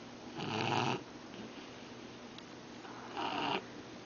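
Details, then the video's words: Sleeping Shar Pei dog snoring indoors: two rough, breathy snores about three seconds apart, with a quiet steady hum between them. "Sharpei Snoring"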